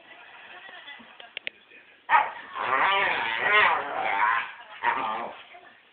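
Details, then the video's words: Pet dog rolling around on a lounge chair, making odd noises: a long, wavering, harmonic groan-whine starting after two seconds and lasting about two and a half seconds, then a shorter similar moan near the end, with faint clicks before. "Dog making wierd noises"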